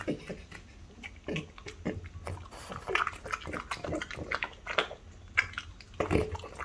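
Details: Two French Bulldogs, a five-year-old mother and her three-year-old daughter, eat a pig's tongue. Wet chewing and smacking come in irregular bursts, with snuffling snorts and short nasal grunts throughout.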